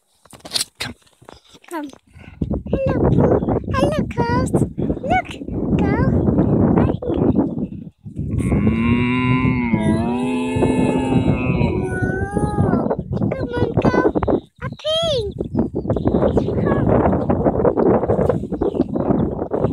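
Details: Cows in a field in Ireland, answering a person: a long, drawn-out moo with a wavering, slightly rising tone in the middle, surrounded by dense rustling, knocking and handling noises.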